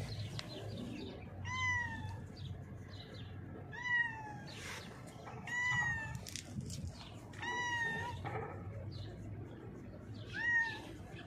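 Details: Cat blind in the left eye, hiding beneath a mixer truck when called; a series of five or six brief, slightly falling meows spaced roughly two seconds apart, with steady low background noise outdoors.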